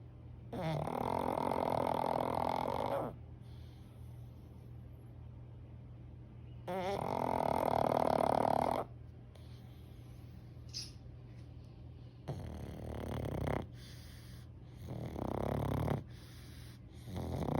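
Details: A sleeping pug snoring in full form indoors: loud, rasping, broadband snores lasting two to three seconds each, about four across the clip, separated by quieter wheezy breaths.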